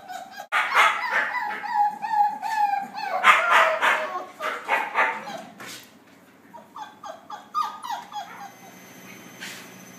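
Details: Several puppies socialising with a busy burst of overlapping high yelps and whines for about five seconds, then fainter, thinner squeaks trailing off toward the end.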